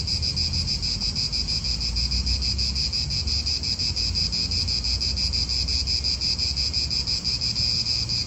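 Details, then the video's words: An Italian park alive with cicadas: a bright, steady high drone pulsing rapidly about three times per second, with a few faint clicks, light wind and distant car rumble below. "italian park ASMR Cicadas wind real atmosphere in an Italian park birds"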